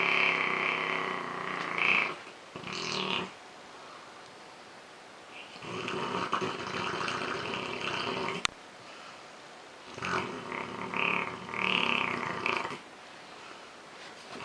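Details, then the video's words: A sleeping male Rottweiler snores really loud in rough, breathy bursts, each lasting a second or two, keeping another Rottweiler in the house from getting to sleep; he snores daily. "Rottweiler Snoring. The Boy Zeus."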